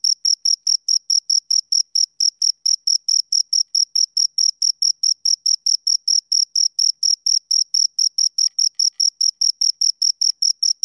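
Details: Insistent chirping by two crickets, clear high pulses following one another quickly and regularly, with a faint brief lower tick near the end.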